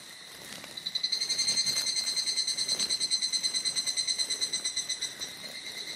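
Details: Male evening cicadas (higurashi) singing near an old mountain trail in Japan, sunny midafternoon around 14:00, mid-July 2022: a shrill, ringing trill pulsed about three times a second, swelling then fading, over faint forest background hiss.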